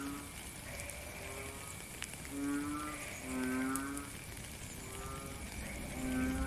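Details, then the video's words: Frog in rainy weather, recorded live outdoors, giving deep hooting notes that rise and fall slightly, spaced one to two seconds apart, set against constant rain patter and hiss. "Frog and Rain - 10 minutes Faint Beautiful Song"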